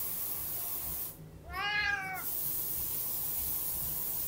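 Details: A single plaintive, slightly falling meow, about half a second long, from a Tonkinese kitten begging for something kept in a cupboard, against a steady hiss.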